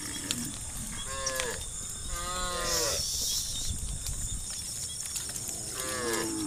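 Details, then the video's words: Cow mooing while a herd of hundreds is driven along a road, calling the herd: three separate moos roughly two seconds apart, each a short falling bellow, over constant background hiss and rumble. "the Sound of Cow Moo Calls the herd"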